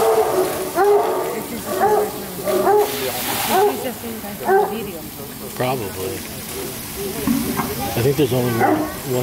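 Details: About a hundred hunting hounds at Château de Cheverny in the Loire Valley, France, waiting to be fed: a chorus of overlapping bays and yelps, roughly one a second, with people talking over them.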